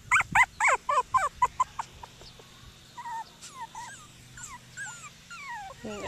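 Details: Seven Cockapoo puppies at play outside on a farm lawn; around nine sharp, high-pitched yips fire off rapidly over two seconds, followed by scattered soft, squeaky whimpers and whines with quiet background hum.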